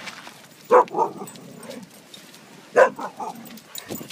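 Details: Lilo, a six-year-old Greater Swiss Mountain Dog, plays at a dog park with Snow, an eight-month-old Husky; two loud, deep barks about two seconds apart, each trailing into shorter grunting follow-ups, over faint background noise.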